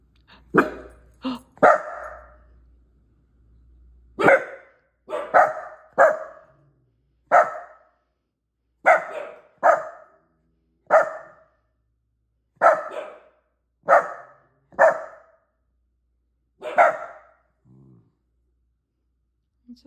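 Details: Miniature Dachshund named Bailey on guard indoors, barking at intruders to defend his territory: sharp, mid-pitched barks come singly and in quick pairs or triplets, about a dozen over the stretch, spaced roughly one to two seconds apart.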